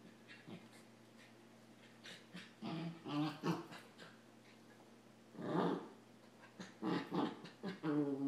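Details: Puppies play fighting, Samoyed Adam with a Rat Terrier: rough, rapid growling and grumbling in uneven bursts, a louder snarl midway, then a string of quick growls and a higher whine near the end; faint hum behind.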